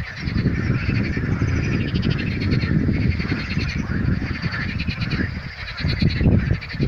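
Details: Frogs calling at Karaburun: a dense, continuous chorus of overlapping rapid croaks and rattling pulses, loud and unbroken throughout, with a heavy low rumble underneath.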